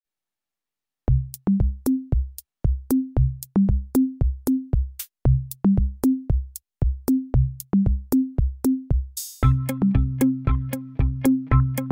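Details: Drum-machine beat with thumping bass drum and clicking hits, repeating in a steady looped pattern, joined by a synth line near the end; no animal voice present.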